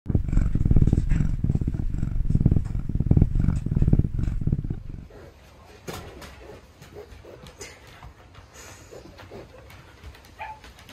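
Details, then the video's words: Lynx growling impatiently while unpacking a steak: dense, deep rumbling pulses for about five seconds, then the growl stops and only quiet rustling and faint clicks remain. "Рысь распаковывает стейк! Нетерпеливый рык!"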